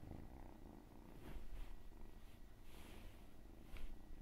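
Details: Steady cat purr in an ASMR recording: a rhythmic low rumble pulsing with each breath, with light brushing or rustling noises over the top.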